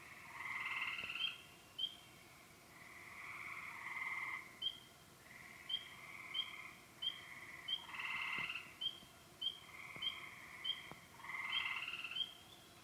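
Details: Spring chorus at remote ponds on the Yellow Dog Plains, Upper Michigan: wood frogs, spring peepers, green frogs, gray tree frogs and toads, with bursts of rasping trills mixed with short, high, repeated peeps.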